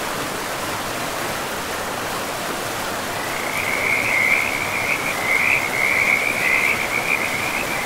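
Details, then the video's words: Frog calling beside a forest river, a long rapid trill starting about halfway and running continuously to the end, pulsing quickly and evenly over constant flowing-water hiss. "River and Frogs sleep sounds"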